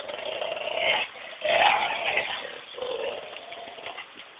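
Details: Tug-of-war play between two dogs, Buddy the Belgian Shepherd and Missy the Labrador Collie cross: three swelling rounds of gritty, snarling growl, each around a second long, fading toward the end.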